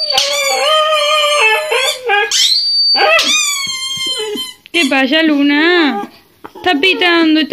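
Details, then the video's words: Siberian Husky crying in distress as her squeaky toy is pressed, apparently believing it is alive; drawn-out wavering whines and howls, some rising then falling, overlap high toy squeaks and a woman's soothing Spanish voice. "Husky siberiano llora tras escuchar su juguete"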